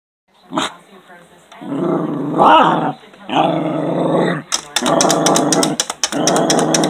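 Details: A male Cairn Terrier, very mad at birds outside the window he can't reach, takes it out on his toy with harsh, growly barks in long rumbling bursts.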